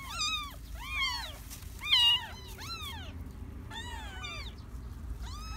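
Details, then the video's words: Garden-born stray kittens cry in short, high arched mews, about one each second, the loudest near the middle, over a low hum. "Stray-cat had 3 kittens in my garden!"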